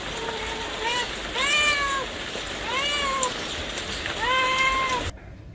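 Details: Several cat and kitten meows, clear and tonal with strong overtones, rising then sliding down, four or five calls in quick succession before the sound cuts off abruptly.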